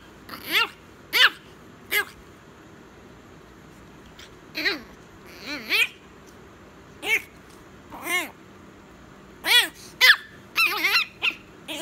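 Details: A tiny Chihuahua puppy, told it is time to go to bed, answers with a string of about a dozen short arched whines and yips, each rising then falling, spaced irregularly with quiet gaps indoors.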